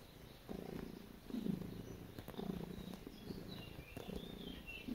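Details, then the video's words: House cat purring as it kneads, making biscuits: a soft, low rumbling purr in short breathy phrases, swelling and fading over a few seconds, with light scratchy sounds in the background. "Cat Making Biscuits And Purring"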